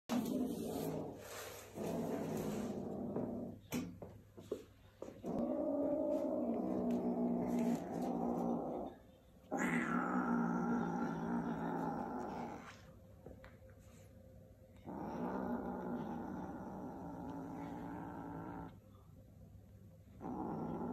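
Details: Two kittens compete for a shoelace, giving low rough growls in long sustained stretches broken by short pauses, with brief snaps and handling noises between bouts.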